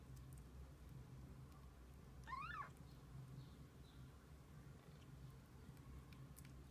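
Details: Domestic cat, a mother with her kittens spending the day together; one short, clear rising-then-falling meow with strong harmonics midway, over a low steady background hum and faint distant chirps.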